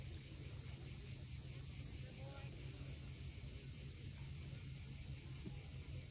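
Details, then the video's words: Continuous high, sizzling cicada drone at sunset above the sea at Cape Fiolent, Crimea, with the low roar of waves below and a few faint, brief tonal notes. "Cicadas at sunset."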